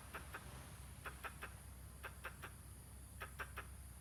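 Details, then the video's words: Squirrel producing weird noises alongside gestures: four groups of three short, hoarse chucks in quick succession, evenly spaced about a second apart, against a quiet low rumble. "Squirrel, making weird noise and gestures."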